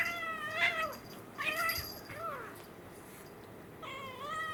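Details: Kittens at play indoors, an American Shorthair male and a Munchkin female born in April 2021: three clear harmonic meows, each rising then falling, spaced about a second and a half apart, with quiet room noise between.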